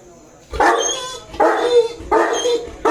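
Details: Bruno, a 2.5-year-old male Saint Bernard, eagerly waiting for his owner to come, makes a series of odd, rich moaning whines, each half a second to a second long, repeated in quick succession with brief pauses.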